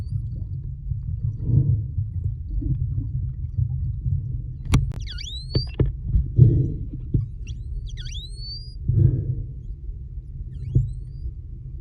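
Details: Short-finned pilot whales met while freediving off the Kona coast of Hawaii's Big Island, recorded underwater: a few sharp descending-then-rising whistles over a low rumbling hum, with scattered clicks and muffled pulses.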